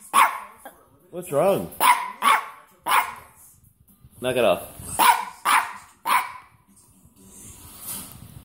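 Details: Little dog croaking as if trying to speak: short hoarse bursts and two wavering, warbling croaks, roughly ten sounds over eight seconds, with a person talking to it in between.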